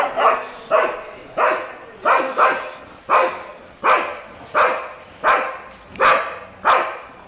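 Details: Street dogs barking at a Labrador: a steady string of loud, harsh barks spaced under a second apart, each bark short and even, with little else audible.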